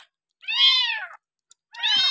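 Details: Kitten, a kampung cat dumped by its owner and taken in, being raised on milk from a feeding bottle on day six, utters one long, loud, slightly falling meow followed by the start of another.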